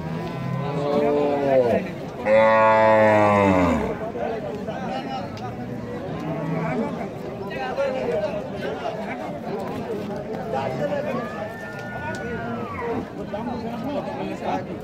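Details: Cow at the Rajshahi City cattle market in Bangladesh gives a loud, deep, harmonic moo lasting about a second and a half, preceded by lower lowing, amid steady crowd chatter and men's voices from the busy market.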